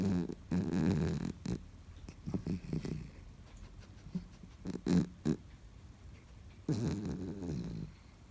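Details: Byeol-i, a female Bichon Frise born 1 December 2013 and living in China, snores while sleeping soundly: low, buzzy rasping snores in a long opening stretch and again near the end, with short soft snorts and quiet gaps between.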